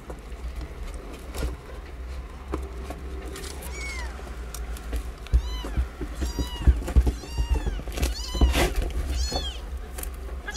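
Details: Nine newborn kittens living in cat houses in a safe zone, learning to suckle from their mother. Many high, thin, arching mews overlap in quick succession, growing busier and louder in the second half over a low background rumble.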